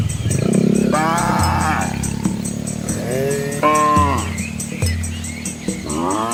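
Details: Asian village cows with young calves walking a scenic rural road by rice fields; several overlapping moos of differing pitch, one long and strong in the middle, over a low continuous rumble.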